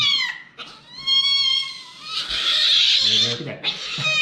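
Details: Mika, an aggressive white kitten at a veterinary clinic during blood sampling and vaccination, gives a long, steady, tonal yowl, then a harsh, noisy burst. A person speaks softly nearby.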